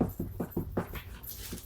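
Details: A 2-year-old Jack Russell Terrier pants in quick, rhythmic bursts with soft whimpering notes, about five per second, while trying and failing to jump over a cardboard box.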